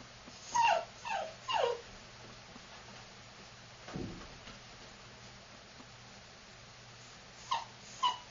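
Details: Young female longhaired Dachshund, black and tan, AKC registered: three short descending whines in quick succession, then a quiet pause broken by one soft thud, and two brief squeaky yelps near the end.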